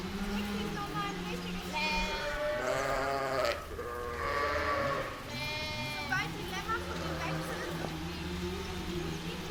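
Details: Sheep with lamb in a meadow, several overlapping bleats of different pitch, some higher and some deeper, wavering and irregular, with a low steady hum underneath.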